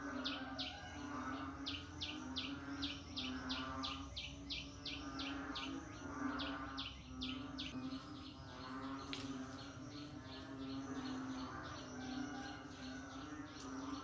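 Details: Rainy-season frog chorus with fast runs of sharp, high clicking notes, quickest in the opening seconds and then spacing out. A continuous low hum and a thick wash of background callers run beneath.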